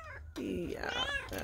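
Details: Chocolate tabby cat indoors meowing to her owner after opening the shutters: a bending, wavering meow overlapping with a woman's voice talking to the cat.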